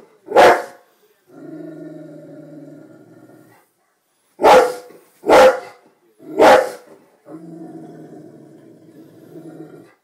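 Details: A Rottweiler watching TV "talks" to the animals on screen, giving sharp, deep barks between long, droning, growly grumbles.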